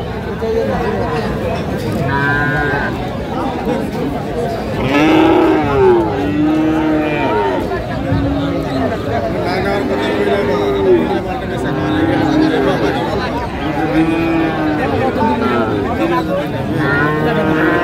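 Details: Friesian and crossbred heifer calves at Raniganj cattle market in Dinajpur, Bangladesh, on 29 January 2025. Several calves moo repeatedly in drawn-out, arched, harmonic lows that overlap one another, over steady crowd chatter and nearby voices.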